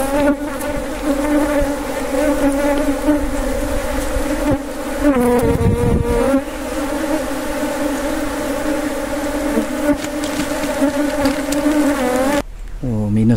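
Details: A dense, continuous drone of honey bees during a wild honey harvest, loud and unbroken, with a wavering, voice-like passage midway and a brief gap near the end.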